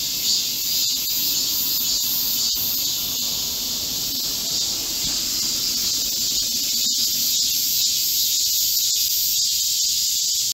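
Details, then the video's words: Korean cicadas chorusing in a green forest at midsummer during a heatwave, 25 July 2024: a dense, unbroken high-pitched buzzing hiss holding steady throughout, with a few faint clicks and no other clear sounds. "Korean cicadas, a chorus in a midsummer green forest | 한국 매미들의 한여름 초록 숲속의 합창"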